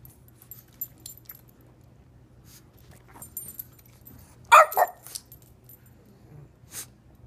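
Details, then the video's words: Elderly pug barking for a treat, still jumping and barking as she did as a young pup; two quick, sharp barks about halfway through, with a later faint yelp and a soft clinking sound in a quiet room. "April barks for a treat"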